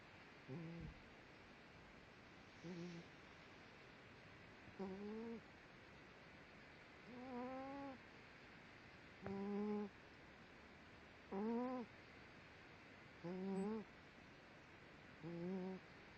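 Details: A sleeping female dog snores, thought to be dreaming, making a squeaky, whistled whine on each breath that rises slightly in pitch, repeated regularly about every two seconds, eight times, over a quiet indoor background.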